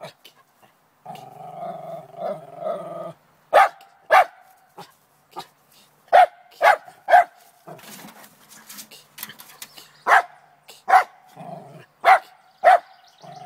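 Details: Trina the Lakeland Terrier goes after a chipmunk in a downspout in the morning: a low, rumbling growl opens, then scattered sharp barks and softer whines, with some scraping and rustling between them.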